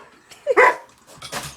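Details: Pet dog reacting while watching cat videos: a single short, sharp yelping bark rising in pitch, followed by a faint murmur of background sound.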